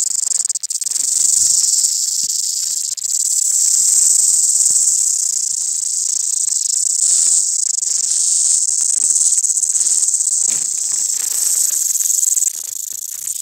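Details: A mountain cicada fills the air with a shrill, continuous, unbroken buzz, very high and hissing in tone, barely wavering apart from slight swells in intensity.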